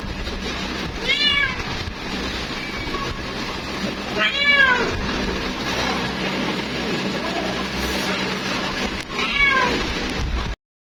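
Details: Female cat calling her mate with three short, arched meows spread several seconds apart, each rising then dropping, amid a continuous noisy background hiss and low hum.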